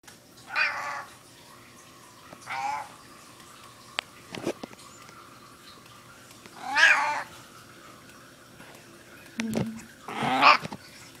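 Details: Twelve-year-old female indoor domesticated Maine Coon cat with a raspy voice, giving four hoarse, harmonic meows spread irregularly over about eleven seconds, with faint clicks and a low room hum in the quiet gaps.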